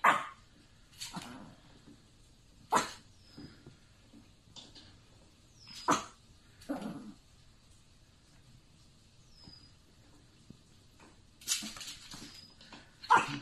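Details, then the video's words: Affenpinscher dog barking indoors: sharp, single barks at uneven gaps of one to five seconds, with faint high squeaky chirps between them. "Affenpinscher Barking"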